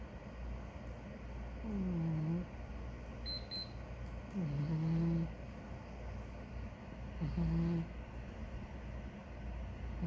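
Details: Sleeping big ginger cat giving three soft, tonal snores about every two and a half seconds, each a short whistling breath that slides downward, over a steady low household hum with a faint beep.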